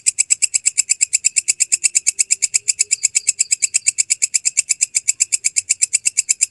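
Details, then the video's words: Walang kecek grasshopper, recorded clearly as tutor sound for songbirds, producing a rapid, even series of crisp, high-pitched rasping pulses at roughly seven per second throughout, with no other sounds. "MASTERAN BELALANG KECEK SUARA JERNIH"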